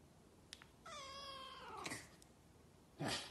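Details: Shorthair Maine Coon cat giving one drawn-out meow of about a second. The tone is clear and harmonic and falls slightly at the end. Brief clicks come before it, and a rustling burst follows near the end.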